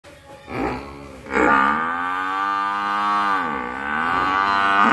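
A buffalo gives a long, deep, droning bellow that holds steady and dips briefly before swelling again.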